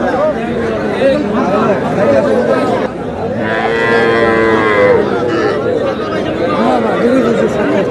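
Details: Cattle calves, young bulls and heifers, at a calf market in Aftabganj on 23 June; one long, harmonic, rising-then-level moo in the middle, surrounded by constant crowd chatter and men talking.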